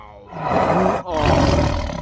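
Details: A tiger, described as angry, gives a loud, throaty roar that swells quickly, breaks off briefly, then resumes as a rasping, sustained growl.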